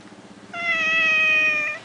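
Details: A cat at a Langkawi resort gives one long, steady, high meow lasting over a second. Before it comes a soft, low, rhythmic murmur.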